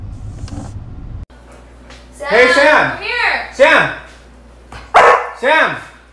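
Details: Pet dog reacting to a prank gives short, arching barks in a quick run of three or four, then two more after a pause, while a person calls the name Sam nearby.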